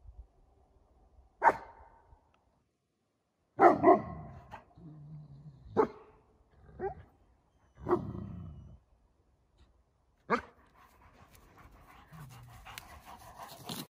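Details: Alabai (Central Asian Shepherd Dog) puppies Zhansay and Imran at morning exercise on February 3, 2021, some snow on a warm winter day; about six sharp, loud barks at irregular intervals, with low growly sounds between them.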